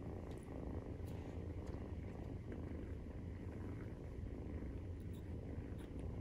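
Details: Steady nursing purr of a Maine Coon cat, kitten at 43 days of age; deep continuous pulsing rumble, evenly loud throughout, with a few faint light taps over the top.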